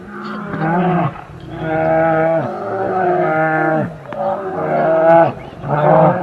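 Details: Asian black bear calling: a run of drawn-out, harmonic, moaning cries, each about a second long and dropping in pitch at the end, given five times in close succession with short gaps.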